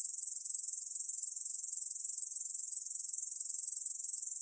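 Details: Short stretch of Korean bush cricket song, 2020, National Institute of Biological Resources: a shrill, rapidly pulsing buzz held at a steady pitch and loudness throughout.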